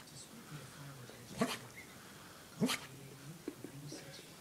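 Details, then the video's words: Sleeping dog letting out muffled barks: two brief, breathy woofs about a second apart, then a faint softer sound near the end, in a quiet room. "Dog barking in his sleep"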